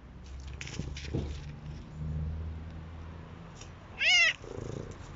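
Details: F1 Savannah cat at home with a companion cat utters one loud, sharp meow near the end, preceded by soft rustling and low purr-like rumbling.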